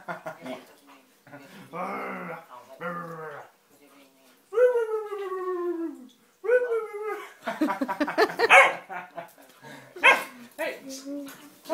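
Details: Alaskan Malamute puppy, 14 weeks old, vocalizing while teasing: drawn-out whiny howls with falling tones, mixed with human speech and excited voices throughout.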